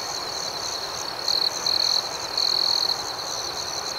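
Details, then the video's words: Nighttime crickets outdoors: three high, buzzy trilled chirps, the last one longest, rise above a constant background chorus of insects. "Soothing Cricket Sounds"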